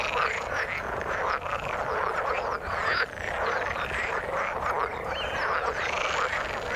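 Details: Chorus of frogs in water: constant overlapping croaks, with short dips in loudness near the middle and clearer upswept calls standing out later.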